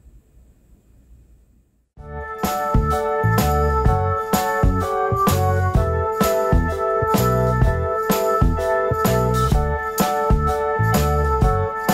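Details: Two seconds of near silence, then bright cheerful music with rattling percussion, jingles and keyboard plays steadily to the end, with no animal sounds.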